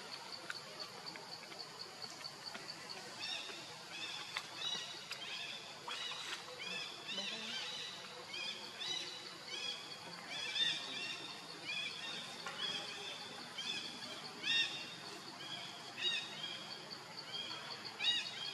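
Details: Baby monkey Leo, hungry and crying to beg his mother for milk: a steady stream of thin, high-pitched squeals, short and repeated in clusters, over a soft hiss of outdoor background noise.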